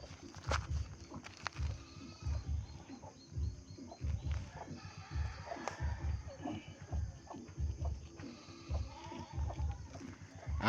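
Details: Pet goats, four pregnant does, one close to giving birth, bleating in short low pulses about every two seconds, with a few brief higher wavering cries. A person talks in between.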